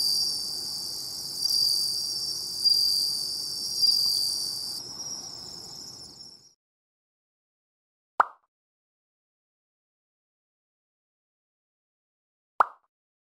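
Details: Bell crickets sing near the sea for about six seconds, a high ringing trill swelling in a few pulses, then the recording falls silent except for two sharp isolated clicks.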